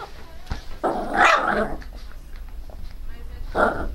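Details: Pinscher named Teco, crying very loudly: a long, harsh, broad burst near one second, then a shorter bark just before four seconds, over low background rumble and faint voices.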